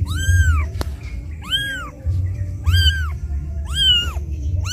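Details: Left alone by its mother, a kitten cries loudly as if calling her: four drawn-out, arched meows spaced about a second apart, with a click early on and a strong low rumbling noise throughout.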